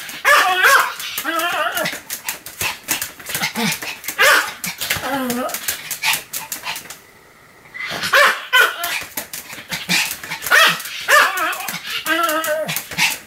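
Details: Pomeranian dog, recorded 7 October 2015, barking without pause: a dense stream of rapid, clipped yaps and tonal whines, broken by one short quiet gap near the middle before the barking returns.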